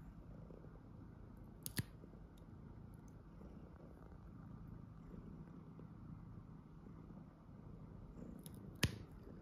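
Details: Well-behaved pet tuxedo cat purring through a nail-cutting session at home: continuous quiet low purr, broken twice by sharp snips of the clippers near the start and end.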